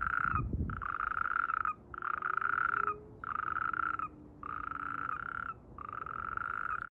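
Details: Mating natterjack toad in amplexus giving its breeding croak: a steady series of about six rasping, even-pitched trills, each close to a second long with short gaps, plus a brief low thump at the start.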